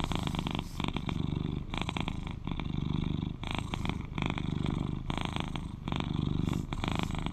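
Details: Loud, soothing purr of an 11-year-old male British Shorthair kept as a companion; throaty rumble rising and falling with each breath, about 35 cycles a minute, steady and unbroken.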